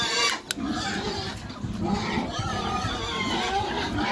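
A contented pig grunts steadily in low, rough, snuffling bursts.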